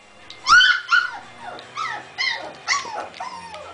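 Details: Pet Shiba Inu whining for about ten minutes because it wants to join its owners in the living room; a string of about six high, arching whimpers, each bending up then down, spaced half a second apart, a person saying no between them.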